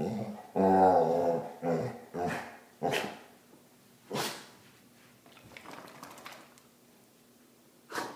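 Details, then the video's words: Basset hound ranting in a small room: a few drawn-out, throaty grumbling moans at the start, then several short, sharp single barks spaced a second or more apart, with quiet gaps between. "Basset Rant"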